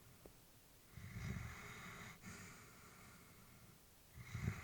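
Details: Elderly female Labrador Retriever sleeping peacefully indoors, breathing slowly with soft snorting breaths: a loud exhale near one second stretching into a long airy breath, another snort at the end, in a quiet room.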